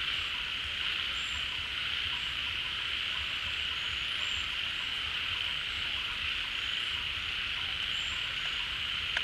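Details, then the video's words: Many frogs calling together at a pond as water returns in the rainy season. A dense, unbroken buzzing drone fills the night, with faint short high whistles scattered through it. "เสียงฝูงกบร้อง Relaxing Sounds of Frogs, カエルの音, 青蛙的聲音"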